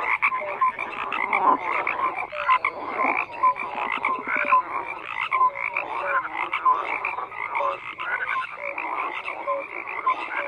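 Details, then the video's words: Steady night-style chorus of numerous frogs, continuous layered croaking with repeated short tonal notes and occasional louder rattling bursts, no other sounds standing out. "FROGS CROAKING"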